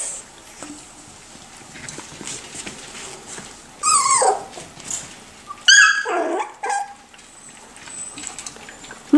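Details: Miniature Schnauzer puppies, four and six weeks old: two loud high yelps, each a sweeping falling tone, around four and six seconds, with a short cry at the end and quiet room noise between.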